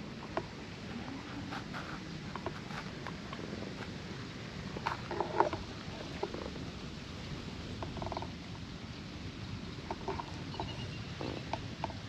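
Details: Stray cat that sat alone below a riverside embankment, petted and then climbing happily onto a lap; soft, low continuous purring under rustling and scattered light taps and clicks.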